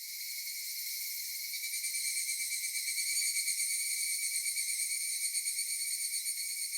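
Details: Japanese summer cicadas at Michinoku Folk Village and Kitakami Tenshochi, Kitakami: a high whirring chorus fading in from quiet, then rising into a strongly pulsing, throbbing drone at roughly three beats per second.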